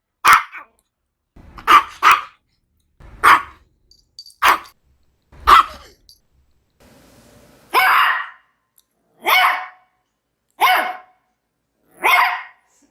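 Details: Maltese barking in a steady run of about nine short, bright barks. The early barks come single or doubled, and the later ones are longer and harsher.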